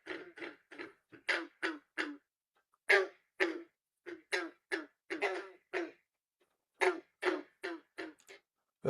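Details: Green frog or banjo frog (Rana clamitans), Texas: males chorus with advertising calls near ponds, short twangy gunk notes like an untuned banjo being plucked, one after another.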